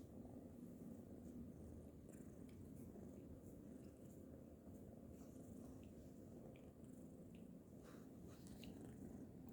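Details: Orange kitten named Butter snoring and purring while asleep on a lap, a steady low rumbling purr running through the whole stretch, faint soft clicks and rustles above it.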